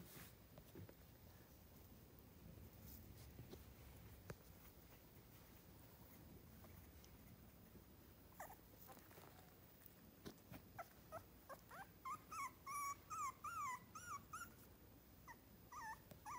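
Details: Three-week-old miniature schnauzer puppies near Radisson, Saskatchewan: a room stays quiet with soft handling noise, then a burst of short, wavering, high squeaks and whimpers comes in the last seconds.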